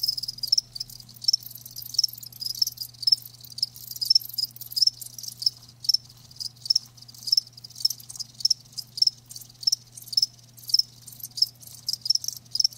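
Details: Live crickets with regular high, sharp chirps repeating about twice a second, steady and rhythmic, other fainter crickets trilling behind and a low hum in the background.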